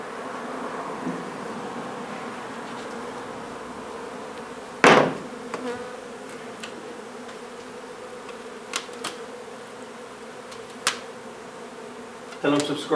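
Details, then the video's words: Continuous humming of honey bees during removal of a hive from an old renovated home in Donna, Texas, broken by loud knocks and scattered taps from the work. "Honey Bee hive removal"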